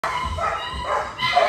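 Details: Irish Doodle named Scotch reunited with its owner, giving short, excited, high tonal whines that rise and fall over about a second and a half, with a man's voice close by.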